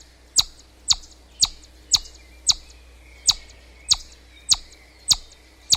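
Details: A chipmunk gives a run of piercing, very high chips, evenly spaced about half a second apart, each note short and sharp, with only a low steady hum behind.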